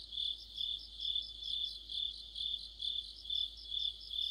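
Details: Korean crickets and other insects in deep autumn, a shrill continuous trill broken into rhythmic swells roughly every half second, near a streetlamp, the night otherwise quiet.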